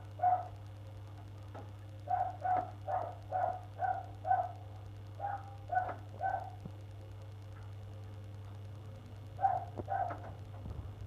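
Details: A neighbours' dog barking for an hour one February morning; irregular short barks in groups of two to four, about two per second, a longer silent gap, then two more barks, with a steady low hum throughout.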